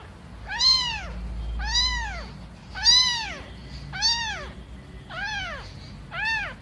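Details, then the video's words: Young kittens, eyes not yet open, calling for their mother while playing: six clear arched meows, each rising then falling, spaced about one second apart, with faint low room noise beneath. "Cute kittens play and meow. Enjoying the sound of kittens"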